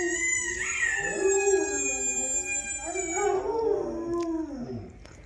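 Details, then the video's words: Female dog howling back at a recording of her own howls; a long, rich, harmonic howl that rises, wavers and slides down, followed by a second drawn-out howl that fades away. "She Howls At Her Own Howling Vid"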